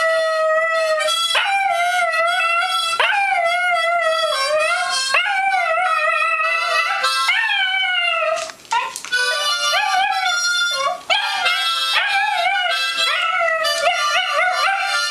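A dachshund howls along with a harmonica, its voice sliding up and down in long wavering notes.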